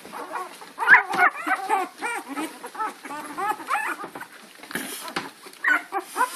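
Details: Puppies chasing Lady, April 4, 2013: a tumble of shrill, arched yelps and short barks, several puppies calling over one another in quick, irregular bursts with brief pauses between.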